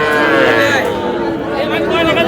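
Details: At a market in Barisal, Sahiwal bull calves low with a long, steady moo in the first half, then fade under overlapping speech and busy market chatter.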